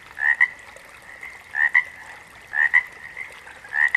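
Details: Frog calling: a two-part note, a rising chirp then a short click-like pip, repeated roughly every 1.1 seconds over a faint steady background chorus.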